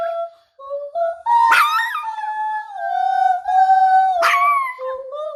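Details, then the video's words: A puppy howling as if singing a lullaby, with drawn-out wavering tones rising and falling in pitch and two sudden sharp upward yelps breaking the long notes. "자장자장~ 자장가부르는 강아지"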